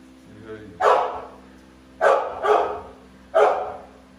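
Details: Big American Bully Pitbull dog barking four times, with deep, rough, explosive barks, the middle two close together, then one more after a short gap; steady low hum behind.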